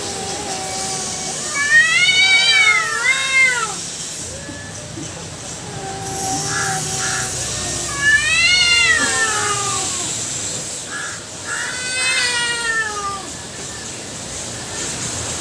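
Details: Cat fight between two female cats and one black male cat: long, low wavering growl-yowls broken by three loud bursts of rising-and-falling wailing caterwauls, with short caw-like calls in the background.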